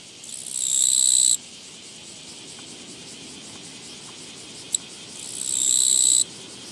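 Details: Along a walking path on 24 August 2017, a Japanese katydid produces two grating, high-pitched buzzing bursts about five seconds apart. Each swells gradually, then cuts off sharply, with a single faint click between them.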